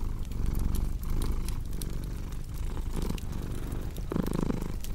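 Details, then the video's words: Low, rumbling cat purr in breath-timed pulses beside a crackling fireplace, with a brief louder rustle near the end. "Purring Cat with Cozy Crackling Fireplace Sound"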